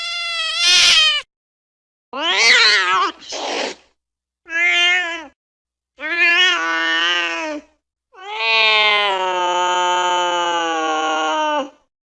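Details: Domestic cat giving a varied series of loud meows. A sharp, harsh opening cry is followed by shorter wavering calls and gaps of silence, ending in a long, drawn-out, steady wail lasting nearly four seconds.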